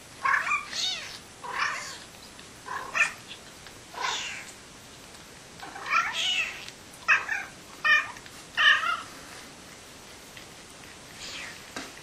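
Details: Mother cat and her kitten meowing back and forth indoors after the kitten's feeding, while she cleans his face; a lively exchange of short, bright, rising and falling meows, about a dozen over twelve seconds, some overlapping.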